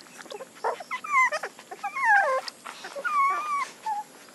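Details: Puppies giving thin, drawn-out whines that slide downward, several cries in quick succession mixed with soft shuffling and handling noises.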